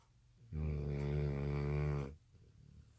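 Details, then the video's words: Exhausted American Bully puppy sleeping at night, worn out from missing a nap after dinner; a single long, loud, buzzy snore of about one and a half seconds, then soft breathing. "Puppy snores so loud | American Bully"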